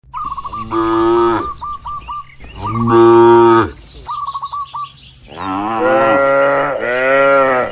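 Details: Cows resting and moving around inside a large farm barn moo in long, harmonic-rich calls, three bursts with the last overlapping another animal, while short repeated bird chirps fill the quieter gaps.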